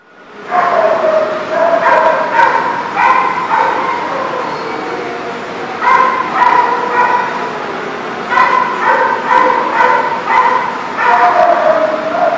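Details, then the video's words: Dogs barking and yipping at a dog lot, a busy chorus of high, clipped barks and whines in bursts every second or so, with constant background chatter of many animals. "The Barking Lot"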